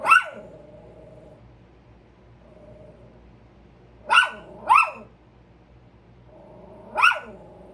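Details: Two pet Chihuahuas on alert, barking at a squirrel: four sharp, high yaps, one near the start, a quick pair around the middle and one near the end, with a faint steady whine-like tone between them.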